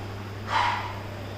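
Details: Puppy giving one short, bright yip in a quiet room, with a steady low hum underneath.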